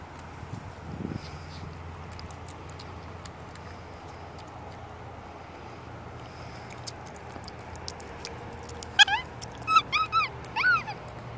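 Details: Masyanya, a pet female capuchin monkey celebrating her third birthday on 7 October 2016, with a festive dress and cake: a low murmur, then near the end a burst of four or five arched, whiny tonal calls in quick succession.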